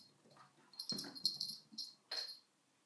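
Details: Sona the dog with a cushion, giving a few short noisy wheezing snorts in a quick cluster, then one more sharp rasp before falling quiet.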